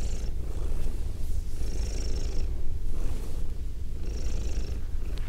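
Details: A female pet cat purring, captured with binaural ear-to-ear microphones: a continuous low throbbing rumble, broken by airy swells at the start and again about every two seconds.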